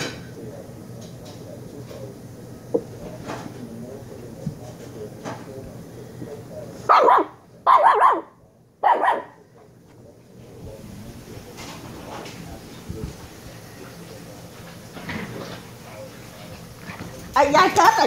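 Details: Shiba Inu pup, one of the dogs Kyno and Niro, gives three short, loud, sharp barks close together midway, separated by brief silences, with people chatting in Vietnamese and household noise around them before and after.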